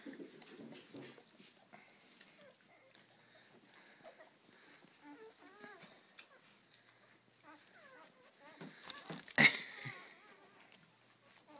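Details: Seven-day-old Rhodesian Ridgeback puppies from a first litter, indoors: scattered thin, high squeaks and whimpers, some curving up and down, come in short bursts, with a sharp knock near the end and a quiet human voice.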